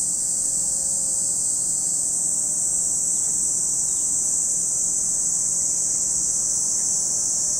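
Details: Cicadas heard at Lake Kamo, Sado, Niigata, Japan, their shrill, seamless high-pitched whine filling every moment, with only a faint low rumble beneath.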